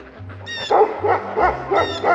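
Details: A dog, alert after something caught its attention in the woods (the owner also heard an animal moving there) while ducks were being let out, gives a quick run of about five sharp, mid-pitched barks, roughly three each second, over soft background music.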